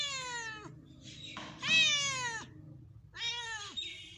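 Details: Pet cat while drinking milk and eating bread, letting out three or four meows of varied length, some short and clipped, one louder and strained in the middle, over a quiet indoor background.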